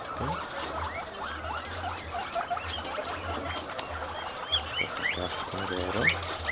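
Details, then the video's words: Guinea pigs on a farm in Peru, where an improved Inti-line male in heat mates with an improved Peru-line female, another male nearby; many short rising and falling squeaks overlap throughout, over a steady low electrical hum and faint clatter. "COMO SE APAREAN LOS CUYES"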